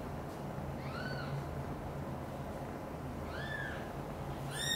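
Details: Kitten meowing while mother cat Xaxa carries two kittens from another mother cat's nest to her own: two thin, rising-then-falling meows about two seconds apart, a third starting at the end, over a low constant hum.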